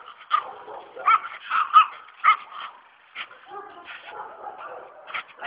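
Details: Presa Canario during attack and protection training, giving loud harsh barks in quick bursts, then rougher growling barks and yelps, roughly two barks per second at peaks.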